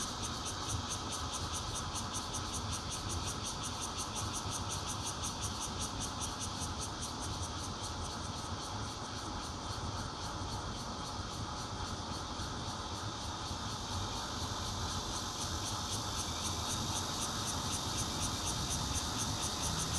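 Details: Bear cicada recorded on a Nokia Lumia 820 at a fourth-floor home in Zhongli, Taiwan, 16 June 2013: sustained loud droning buzz with fast high pulsing that strengthens toward the end, over constant low traffic-like rumble.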